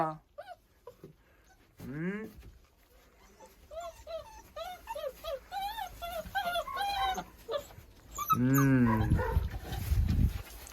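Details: Young German pointer puppies, born 15 January 2022, whine in a string of faint, short, bent squeaks repeated several times a second, with a person's voice breaking in near the end.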